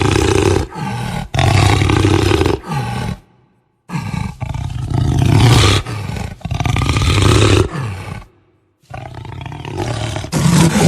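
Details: Jaguar producing rough, bassy growling roars in long grinding bursts, interrupted by two clear silent breaks, each burst harsh and throaty with sawing rhythm.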